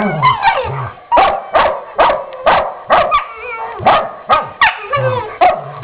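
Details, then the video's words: A pair of dogs playing in the morning, giving sharp barks with growly undertones about every half second, a fast uneven volley throughout. "dogs at play using their 'inside' voices"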